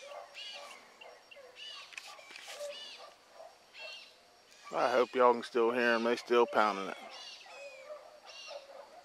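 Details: Hound pups, among them Ringo, Mingo and Choco, running a rabbit in the morning. Faint scattered cries open the recording, then a burst of overlapping harmonic bays arrives midway and fades back to distant calling.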